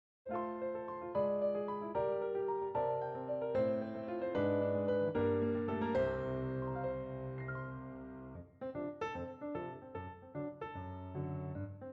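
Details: Piano music plays throughout, with bright keyboard chords and melody and no animal sound heard.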